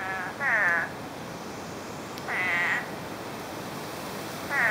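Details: Spadefoot toads emerging after nine inches of rain in under a day, heard through brush: three drawn-out, buzzy, nasal bleats, roughly two seconds apart.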